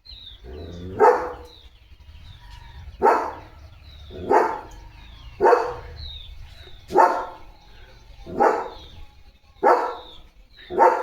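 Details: Leo, a German Shepherd guarding the house at the gate, barks in loud single bursts about every one and a half seconds, with faint birds chirping behind.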